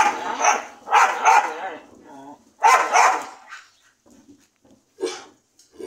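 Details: Dogs giving loud, harsh barks, several in quick succession early on, then a pause and a few softer, scattered yelps and one more bark.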